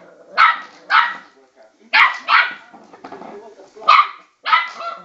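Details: Westie puppy around 12 weeks old yapping at a spinning bowl, giving shrill barks in pairs, three pairs spaced about a second apart, with quieter rustling sounds in between.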